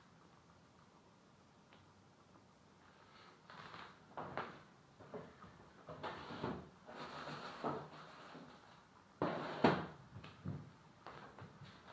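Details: Indoor knocks and bumps like cupboards or drawers closing sound over a quiet background, with no animal call.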